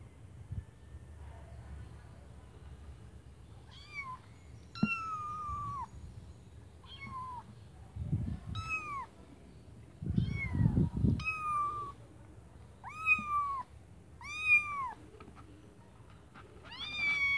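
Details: Kittens in a white bucket, meowing repeatedly: short, high, slightly falling mews come every second or so, often in quick pairs, with soft low bumps and rustling between them.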